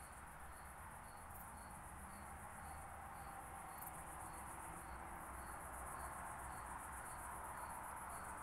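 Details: Meconema thalassinum, the oak bush-cricket, made audible with a Pettersson D 100 bat detector in Starnberg, Germany, on 18 July 2023; brief regular pulses repeat about every half second against constant background hiss, with one or two faint clicks.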